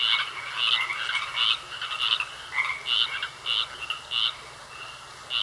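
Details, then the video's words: Frogs croaking in a pond; bright raspy croaks stand out, roughly one or two per second in uneven rhythm, about eight clear calls over a softer chorus and steady faint whine. "Sounds Of Frogs Croaking In A Pond"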